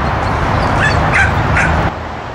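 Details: Whippet at a sheep herding class on its last herding run, showing little interest in the work. Three short, sharp yips sound over a steady low rumble of wind or handling noise.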